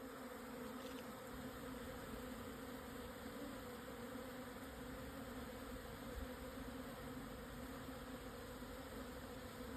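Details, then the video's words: Swarming colony of Japanese honey bees on the plateau below Yatsugatake, Hokuto, Yamanashi, at 1054 m, midday 17 June 2024 once strong wind died down; continuous low, thick buzzing of a great mass of bees with no pauses. "【日本ミツバチ】 のお引越し〜◆ 分蜂"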